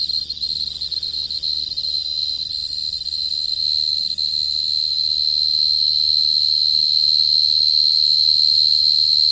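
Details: Lure song of a short-tailed cricket. An unbroken high trill starts slightly softer, then grows steadier and louder, with overtones above and a low hum beneath.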